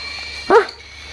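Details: A pet sugar glider in a pet shop gives a single brief yip, a quick nasal bark with a ringing harmonic tone rising then falling, a clingy call for attention, over a faint steady background hum.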